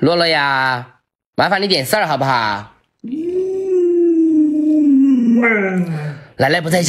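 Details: Pet Alaskan Malamute Luoluo answers while its owner stays in bed past sunrise. A human voice speaks in short bursts. Then the dog lets out a long, even howl that gently falls over about two and a half seconds. Speech resumes at the end.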